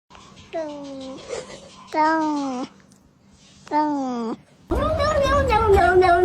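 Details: Cat giving drawn-out meows, three separate falling-then-flat wails about a second each with pauses between, followed by a longer wavering cry over a noisier background.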